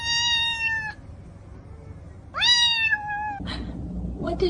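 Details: Domestic cat indoors giving two clear meows, the first steady and falling slightly at the end, the second rising sharply then gliding down, with a short quiet gap between and a brief scuffing noise after.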